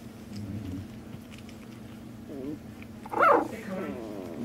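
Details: Two-week-old Shooter x Bella puppies indoors, one giving a single sharp, rising then falling squeal near the end, over a steady hum while people talk about phones and batteries in the background.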